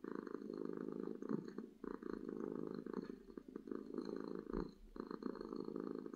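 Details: Loud purring from a happy domestic cat: a thick, buzzing rumble in long stretches of roughly one to two seconds, separated by short breath gaps, heard close and clear.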